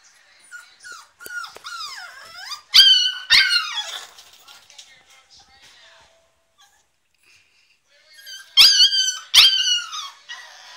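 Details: Staffordshire Bull Terrier puppy named Diablo screaming because he wants out of his crate: high, quavering whines that bend down and up, then two sharp shrill screams, a quiet pause, and two more piercing screams near the end.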